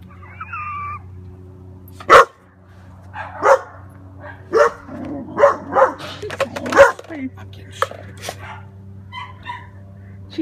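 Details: German Shepherd puppy barking in a series of sharp broadband barks, several clustered between four and seven seconds, with a man talking over them and a steady low hum underneath.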